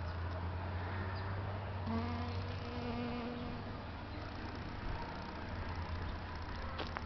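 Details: Foraging European honey bees at flowers in San Diego, California, USA, on a fine day: a bee's buzzing hum with stacked overtones passes for roughly two seconds midway, set against a continuous deep background rumble.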